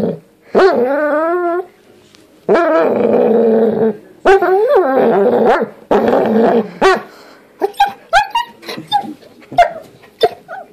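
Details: Indoors, a doodle dog tries out new vocal sounds: long, wobbling, howl-like moans alternating with raspy growling stretches, then a run of quick, short yips and squeaky barks.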